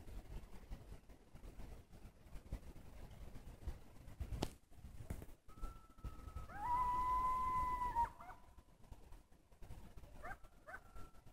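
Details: Coyotes on a warm spring day: over low rumbling background, a steady, sustained mid-pitched howl with clear overtones holds for about two seconds, then falls silent before two short, quick rising-and-falling yips.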